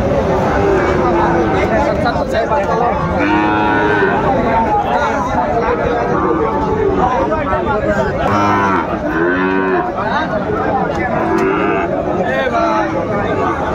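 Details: Sahiwal bull calves at a cattle market where a Dhaka farmer is buying, 20 February 2025: drawn-out harmonic moos rise and fall around the fourth, ninth and twelfth seconds over steady crowd chatter and bargaining voices.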